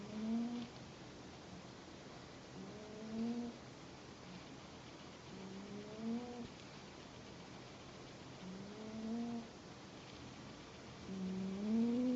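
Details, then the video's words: Pet cat snoring indoors, very quiet: soft, low, humming snores with faint overtones, each about half a second long, repeating roughly every two to three seconds across five breaths over a faint background hiss. "my cat snores.....!"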